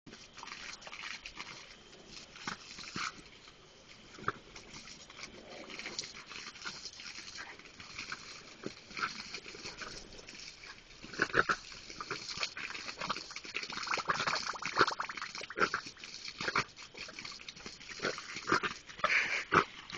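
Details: Jack Russell Terrier playing with water, as if trying to attack it: sharp, excited vocal bursts come in rapid runs, growing denser and louder in the second half, mixed with splashing and spraying water.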